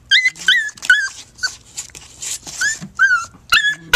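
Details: Jack Russell Terriers in blanket tug-of-war play give high, squeaky whines and yelps, short bent notes repeated about every half second, some sliding downward, with faint scuffling between.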